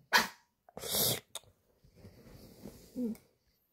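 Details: Pet Pomeranian acting as a living alarm clock, signalling that it is time: two sharp, noisy yaps, the second longer and rougher, followed by a quiet human voice in a calm indoor room.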